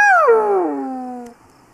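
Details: Spotted hyena. A spotted hyena calls once with a clear, hollow, harmonic tone. It starts fairly high and glides smoothly downward for over a second before cutting off, leaving only faint background hiss.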